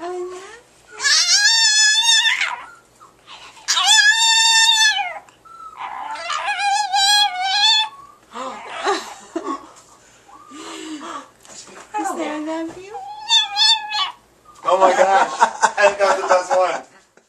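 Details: Paco, a pet Chihuahua known for human-like sounds, "talks" with the phrase "I love you": several long, rising and falling, whiny howl-yodels, each lasting about a second, separated by short pauses, with occasional soft human voices indoors.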